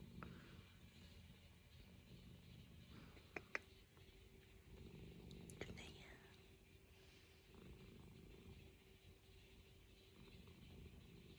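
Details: Norwegian Forest Cat kneading on a lap at home, giving a steady low rumbling purr throughout, with soft whispered human speech and a few faint clicks over it.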